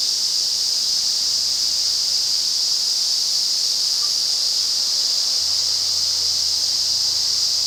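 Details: Ezo cicadas in a massed midsummer chorus in the Afan Woodland forest, Shinano, Nagano, Japan, in August. It is a steady, dense, high hissing drone with no breaks, filling the whole clip at an even loudness.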